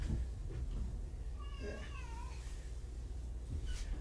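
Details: Kittens from two surrendered litters at Purrfect Pals, indoors: a soft, rising-then-falling harmonic meow around the middle, faint over low background rumble.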